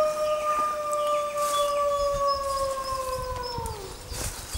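A coyote gives one long, steady, mournful howl that holds its pitch, then slides down at the end.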